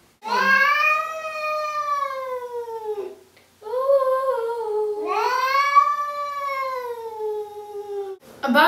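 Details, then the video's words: Domestic cat known as a singing cat, in a clip from an earlier recording: two long, drawn-out, wavering yowls, each several seconds long. The pitch swells and then slowly falls, with a short break between them. The room is otherwise quiet. "I got a lot of comments on this video that I did with my singing cat whiskers."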